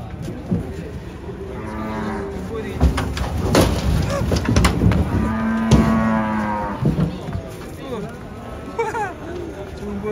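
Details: Giant lame cow being unloaded from a truck, lowing with harmonic-rich moos amid clattering, bangs and men's voices; calls overlap busy handling noise.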